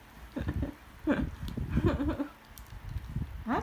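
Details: Female Border Collie at medicine time, eager for more: short wavering whimpers and squeaky whines come in bursts over about three seconds, mixed with a woman's soft coaxing voice asking if she wants more.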